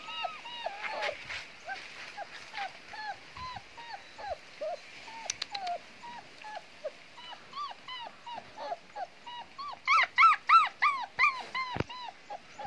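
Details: German Shepherd puppies giving repeated thin, high whining yelps, several per second, overlapping and growing louder toward the end as more pups join in.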